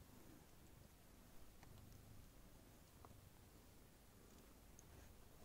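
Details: Somali kitten named Prince Noir, born 14 November 2019 to Icare Waldo's and Mooni, a cat living indoors with its family, purring: a steady low rumble pulsing throughout with a few faint soft clicks, in a quiet small room.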